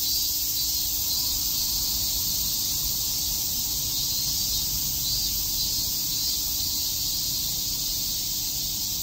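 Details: In Shakujii Park, Tokyo, on a summer day, many cicadas chirp together as a constant shrill, grainy buzz that swells slightly and holds throughout.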